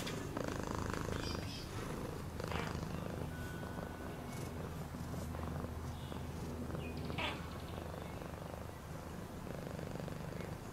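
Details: Domestic cat purring: a continuous low rumbling throb with steady pulsing, overlaid by scattered faint clicks and brief higher rustling or chirping sounds in the background.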